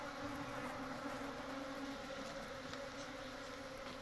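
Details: Honey bees at a natural nest building comb and storing honey. The bees produce a steady, low buzzing drone, with a slight rumbling undertone beneath the hum.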